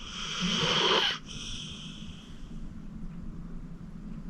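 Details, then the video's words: Sleeping senior pit bull Acorn, aged 14 and adopted from the Cuyahoga County Animal Shelter, gives one raspy, whistling snore lasting about a second, then settles into soft, low breathing. "Acorn Sleeping - Relax with a Snoring Senior Dog"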